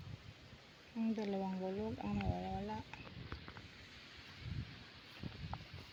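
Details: Goat kept by its owner, checked on down by the river while searching for two missing goats. Two wavering, nasal bleats, each just under a second, run back to back and rise slightly at the end. Faint rural background noise and soft knocks follow.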